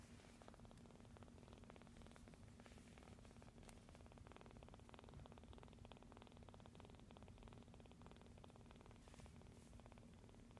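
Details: A rescued kitten purrs while asleep, kneading the air beside a noisy household; a soft, steady low rumble with fine rapid pulses continues throughout, quiet and close, with faint background rustles.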